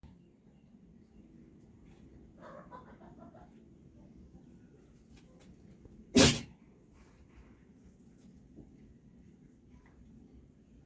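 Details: Dog sneezing: a single sharp, explosive burst of breath just past halfway, preceded by soft snuffling sounds and a faint low background hum.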